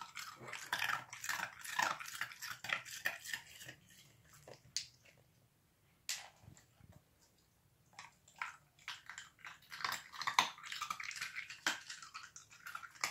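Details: An Irish Terrier puppy gnaws ice, giving dense runs of crisp crunching and cracking. A few loud snaps stand out, and a quieter gap in the middle lasts about two seconds before the chewing resumes.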